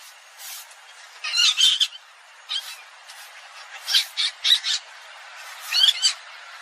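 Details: Civet (อีเห็น, ชะมด) calling in shrill, raspy squawks. Each burst holds two to four rapid notes, with about five groups spaced roughly a second apart against a quiet background.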